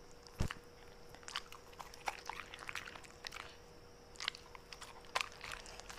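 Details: Pet Corgi dog chewing a mixed meal of steak, vegetables, blueberries and tripe in close-up; irregular crisp biting crunches in quick bursts, separated by short pauses, over a faint constant electrical hum.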